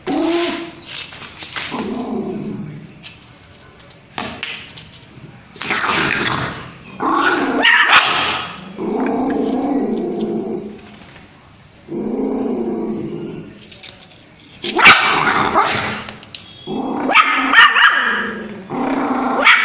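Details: Angry puppy barking at its owner: bursts of high, harmonic yapping barks mixed with growls and whiny yips, coming in uneven clusters separated by short quiet gaps.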